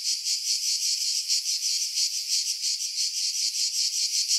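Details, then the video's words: Chorus of cicadas in pines near the sea at Pefkos Bay, Skiros, Greece, July 2018; an intense, hissing high buzz throbbing almost three times a second without pause. "Cicada Sounds, July 2018 Skiros, Greece"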